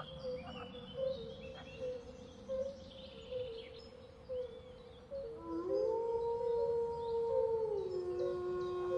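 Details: Wolf howling: a long, smooth, steady tone rises in from about the middle of the clip, holds level, then dips slightly at the end, following a few faint tonal wavers; scattered bird chirps and background hiss throughout.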